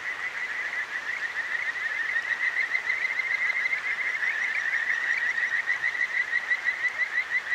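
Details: Streamside night chorus of Kajika frogs in Tokyo's Akigawa Valley: unbroken runs of quick, slightly rising chirps from many callers, pulsing more distinctly toward the end, with the steady hiss of the flowing river beneath.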